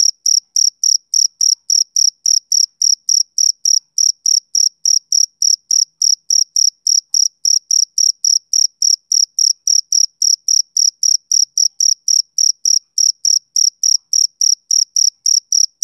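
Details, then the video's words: Male cricket, summer evening: a continuous run of sharp high chirps pulsing steadily near four per second, unchanging in loudness, nothing else audible. "Cricket Chirping Sound Effect"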